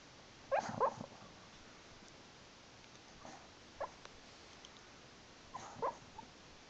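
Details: Jerry, a pet dog, dreaming and talking in his sleep while another dog is nearby: short, high, squeaky whimpers and muffled yips in clusters near the start, middle and end, over a quiet indoor hush.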